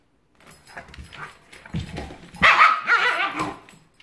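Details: Giant Schnauzer playing with a Miniature Schnauzer, a pet dog at play: low rumbling growls and scuffling build into a louder burst of rough, strained barks and snarling yelps near the end.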